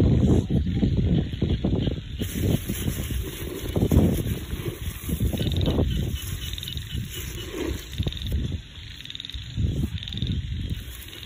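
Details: Countryside rice-field frogs croaking together, a busy jumble of deep, rasping notes repeated rapidly, loudest early and easing later, with a steady high-pitched drone underneath.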